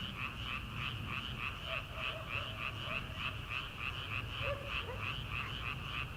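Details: Frogs in rice paddies on an early-summer night before rice transplanting. The chorus is steady and rapidly pulsed, a rattling trill repeated several times per second in two bright bands, with a faint lower note near the end.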